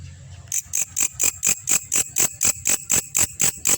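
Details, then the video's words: Belalang kecek grasshopper, used as a master recording for training champion songbirds: after a brief quiet start, sharp, dry, high-pitched rasping pulses repeat steadily about four times a second, with a faint low hum underneath. "belalang masteran burung juara"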